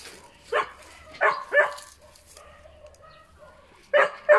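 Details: Puppies barking in quick high yaps, a pair of bursts, then a soft thin whine, then two more sharp yips at the end.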